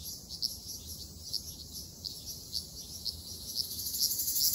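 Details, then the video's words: In an Okinawa forest in summer, Ryukyu large brown cicadas make a steady shrill buzzing. Brighter rhythmic pulses stand out about twice a second, and the chorus grows louder toward the end. "リュウキュウアブラゼミ Graptopsaltria bimaculata 蝉の鳴き声"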